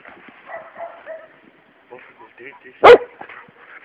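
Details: Luna, a three-month-old Labrador Retriever puppy, playing with a toad and biting it; a single sharp yap stands out amid Portuguese speech and soft background noise.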